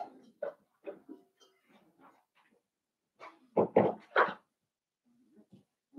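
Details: Blenheim Cavalier King Charles Spaniel puppies, a litter of five born at New Year, indoors in a puppy pen; short yips and whines, then three louder rough barks in quick succession near the middle, with softer whimpers around them.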